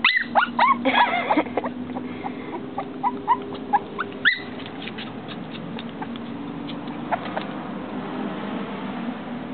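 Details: Upset female dog blocked by glass opens with a cluster of quick high whimpers, then gives only sparse, faint yips over a steady low background hum.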